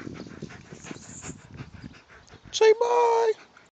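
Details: Doberman Pinscher on a Saturday morning run, asked by its owner to say bye after sitting: the man speaks first, then comes a short burst and a steady, drawn-out whine-like tone held for under a second.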